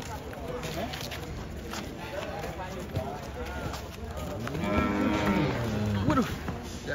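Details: Giant cattle coming down off a truck; a drawn-out, wavering moo late on, over shouting men and general bustle.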